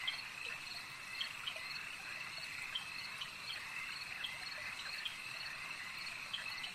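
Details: Many frogs call together at a lake, making a steady shrill drone, with brief louder chirps breaking through at uneven intervals.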